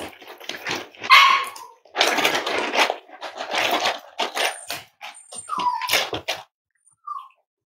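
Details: Five-week-old Cavalier King Charles Spaniel puppies from Myra and Remy's litter at Red Barn Cavaliers, indoors during weight checks on a chilly Thursday morning: short falling whines mixed with noisy yelps and rustling bursts, then a final thin whine.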